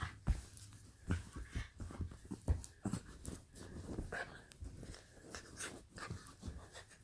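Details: Pita, a pet dog playing indoors, panting in rough, breathy bursts that come about every two seconds, irregular and low, with soft rustling and handling noise in a small room.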